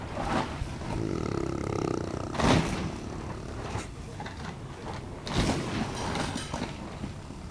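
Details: Neapolitan Mastiff, almost one year old, snoring while asleep: rough, noisy breaths recurring every few seconds with louder broadband rasps, set over a steady low rumble of background noise.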